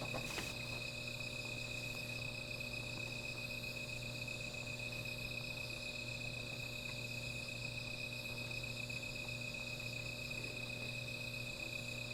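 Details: Insects at night beside a small fire, a steady high-pitched droning chorus of several layered ringing tones held without a break, with a low constant hum underneath and a brief crackling burst at the very start.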